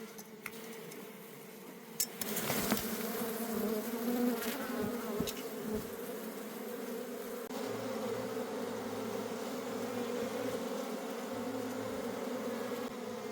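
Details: Wild honey bee colony in a forest during a wild honey harvest, the colony being taken home for keeping: dense, steady low buzzing hum from many bees throughout, with scattered sharp clicks and knocks from handling.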